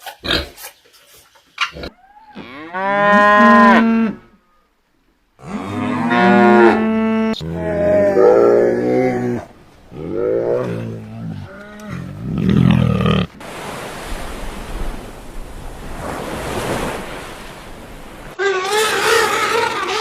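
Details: Cow mooing: a run of long, harmonic-rich moos, some rising then falling, several in succession with short pauses, followed by a stretch of rushing broadband noise and a brief final call.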